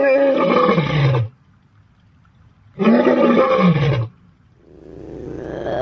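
A big cat gives two deep, rasping roars, each lasting over a second.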